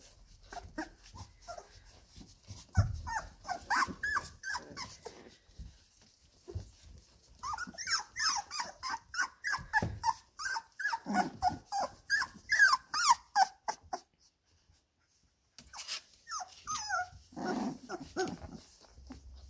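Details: Labrador Retriever puppies, 17 days old, playing together in the whelping box indoors: a busy stream of short squeaky whimpers, yips and little growls, several pups overlapping, with soft rustling and a brief quiet gap near the end.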